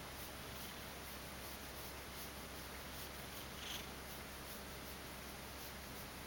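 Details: A Ragdoll cat, woken from sleep and half asleep, purrs contentedly while being stroked: a low continuous rumble that pulses gently with each breath, with faint broadband hiss throughout.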